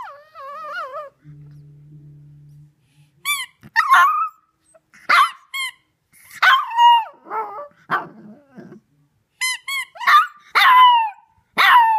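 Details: A 3-month-old female Shih Tzu puppy gives high, wavering howls that slide downward at her squeaky toy, broken up by squeaks of the toy, the first time she has done this with it.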